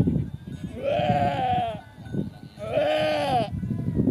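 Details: Angora goat filmed during a birth: two drawn-out, quavering bleats, each lasting about a second and separated by a pause of roughly a second, over steady low rumbling background noise.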